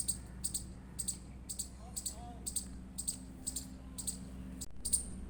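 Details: Indian palm squirrel chirps: a series of sharp, high chips about twice per second, with a faint human voice briefly in the background and a short break near the end.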